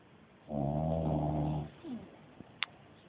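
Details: Loud snoring from a dog during its nap: a single sustained rasping snore of about one and a half seconds, then a short falling exhale and a faint click.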